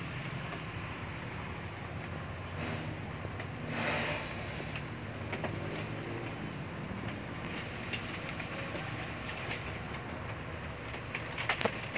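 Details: Steady broadband rumble like a passing vehicle or train fills the recording, with a few sharp clicks and knocks and no animal voice.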